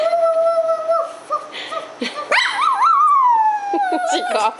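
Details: Pet dog, a female, singing along indoors with a young girl: long wavering tonal howls, steady at first, then rising and warbling downward, mixed with a child's voice and adult speech.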